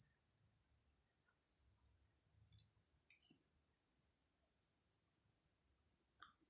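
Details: Quieter take of an insect stuck in a bottle in a house: a thin, high, pulsing ringing trill repeating about twice a second, with faint clicks and low background rumble.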